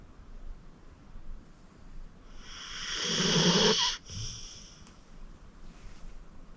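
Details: Deep-sleeping 14-year-old pit bull Acorn gives a single drawn-out raspy snore that builds for nearly two seconds and stops suddenly, followed by a faint breathy release and quiet.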